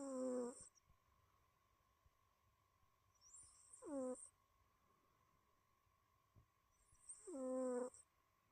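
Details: Tortoiseshell cat snoozing indoors and snoring: three short whistly, nasal breaths with a falling tone, spaced about three and a half seconds apart, each with a faint high hiss. The room is otherwise quiet apart from a steady faint hum.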